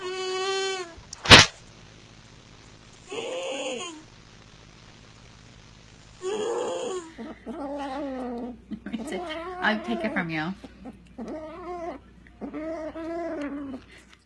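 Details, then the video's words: Domestic cat making strange, unusual noises: a series of drawn-out, wavering, harmonic yowls and moans in rapid succession, broken by short bursts of noise and a sharp click near the start. "Funny Weird Cat Noises"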